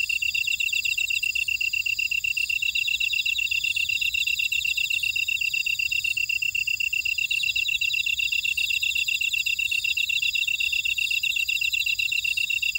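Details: Grass insects chorusing in a buckwheat field at Ora-dong, Jeju City, on Jeju Island, South Korea: a steady high pulsed trill with several overlapping insect rhythms layered above it, continuous and even throughout, with no other sounds.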